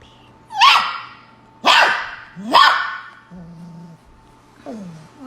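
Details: Puppy throwing a huge tantrum, three sharp high barks about a second apart, then a softer whine, with a faint steady hum behind.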